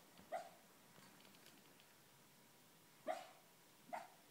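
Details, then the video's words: Dreaming schnauzer letting out muffled barks in his sleep, one soft woof, a pause of nearly three seconds, then two quicker, stifled yips close together in a quiet room. "my schnauzer barking in his dreams"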